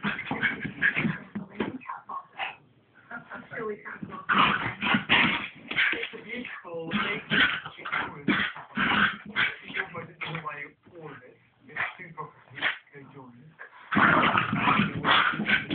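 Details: Two pet dogs play fighting: a long stretch of busy whimpering, high yips and gruff growls in quick clustered bursts, pausing briefly before resuming loudly.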